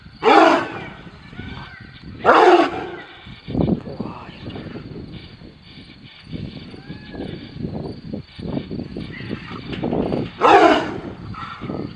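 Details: Lion named Filya in a confrontation with tigers: three loud, broad roaring bursts near the start, at about two seconds and at ten seconds, with lower growling and rumbling between them.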